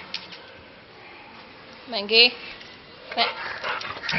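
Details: One of two Labradors playing with a ball gives a single short, tonal bark that wavers in pitch, while a person nearby talks in Gujarati about the ball.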